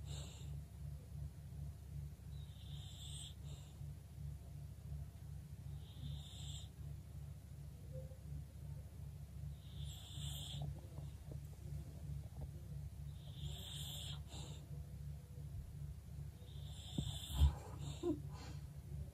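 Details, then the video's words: English bulldog snoring while asleep, faint raspy snorts and hissing breaths returning about every three to four seconds over a constant low droning hum, with a soft thump near the end. "bulldog snoring"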